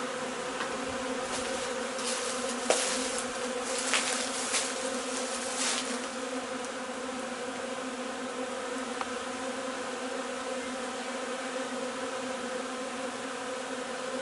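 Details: Hive of honey bees bringing in linden nectar, 3 June; constant humming drone with a steady tonal band, plus a burst of brief crackling clicks and rustles in the first half, then an even buzz.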